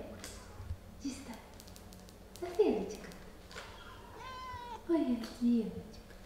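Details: Mother cat playing and talking with her kittens indoors; short meows and chirps, one harmonic-rich mew around four seconds, mixed with sliding squeaky sounds and clicks.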